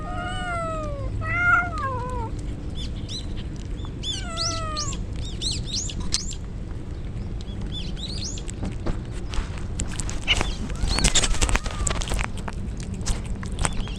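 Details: Stray kittens, soaked in the rain as a typhoon approaches, crying while two mother cats guide the way to them; several descending, wavering meows in the first five seconds, some thin high chirps, then clattering bursts over a steady low rumble of rain.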